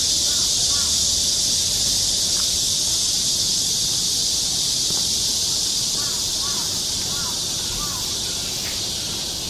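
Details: Cicadas drone loud and steady on a summer forest trail in Seoul, Korea, a bright high hiss throughout, while small birds add short curling chirps and soft low rustling runs underneath.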